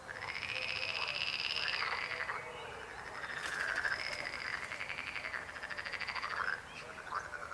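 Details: Croaking frogs, several long pulsed rattling calls overlapping in a steady chorus with rising and falling harmonic tones, one call fading out near the end.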